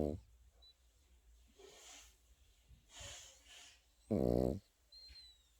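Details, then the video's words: A sleeping Pekingese puppy snoring indoors. Soft, breathy airy snores come roughly every second, then one louder, rumbling nasal snore near the end, in a quiet small room. "패키니즈 코고는 영상"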